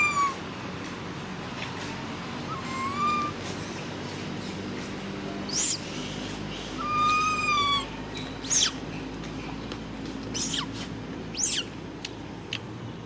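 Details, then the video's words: Baby monkey standing up and screaming loudly: a series of high, tonal, wavering squeals, some rising and some falling, each about a second long, with sharp clicks and bangs between them and a low steady background hum. "Why did baby monkey Ramy stand up and scream so loud like this?"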